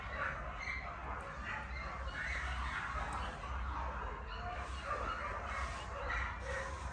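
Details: Keeshond puppies giving a steady stream of short, high yips and whimpers that overlap one another, over a constant low hum.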